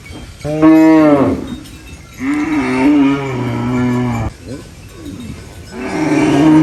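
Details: Three loud moos from a cow feeding on banana leaves on a farm: a short, swelling first call, then a long sustained low bellow, and a third moo starting at the close.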